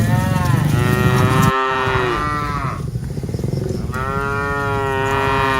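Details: Cattle lowing as dozens of cows are herded: a long moo falling at the end, a softer lower moo, then another steady moo, with a low rumbling background.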